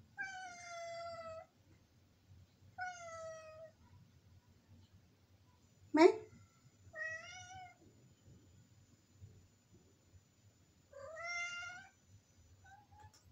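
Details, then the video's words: Village cat calling insistently from above the kitchen, wanting the door opened: four long, clear, slightly falling meows spaced a few seconds apart, with one sharp, abrupt burst between them, in a quiet indoor space. "kucing kampung minta di bukakan pintu manggil2 di atas dapur"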